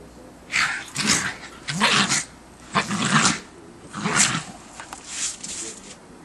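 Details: Rough growling barks from two schipperkes at play in fresh December 2008 snow come in six bursts roughly one second apart, each harsh and harmonic, with quiet gaps of light rustle between them.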